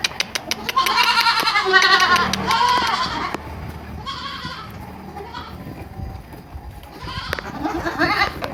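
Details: Young goats on a farm near Purwokerto, Indonesia, bleat in loud, wavering, nasal cries, one after another, with quieter bleats between.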